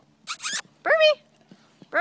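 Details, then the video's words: European Basset Hounds playing at Bellingham Bassets, March 23, 2013: two sharp, noisy yaps, then a clear falling tonal yelp, another yap starting at the end, and a woman calling a dog to come. "Bellingham Bassets playing European Basset hounds"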